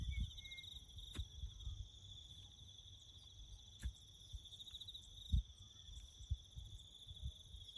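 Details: Bush crickets heard while building a farm road, keeping up a continuous, fast-pulsed high trill with a thinner upper layer, against soft low rumble and a few sharp knocks.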